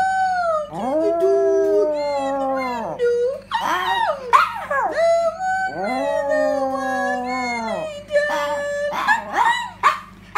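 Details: Female Yorkshire terrier indoors howling along as its owner sings a doggie song: long drawn, wavering tonal howls that rise and then sag, two main notes with breaks, mixed with the person's singing and brief voice bursts.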